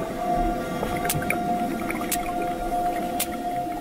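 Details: A hunting sperm whale's sharp, evenly spaced echolocation clicks, about one each second, picked up on a hydrophone over a steady underwater hum, probing ahead for squid.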